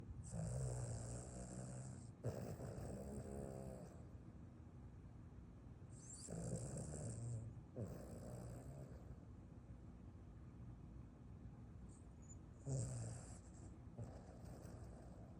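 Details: A Boston Terrier sleeping after a run snores in deep, rasping bursts, each lasting a second or two, with quiet pauses between.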